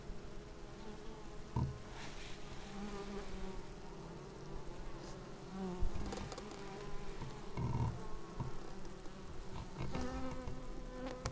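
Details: Clean sounds of bees arriving at a beehive on a Xiaomi Yi action camera; a constant humming drone with pitch-wavering buzzes from passing insects and occasional brief louder fly-bys.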